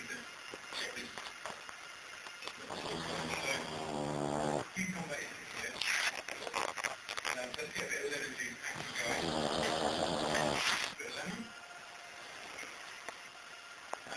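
A sleeping Bull Terrier snores in long, rattling, buzzy breaths, with a man talking nearby.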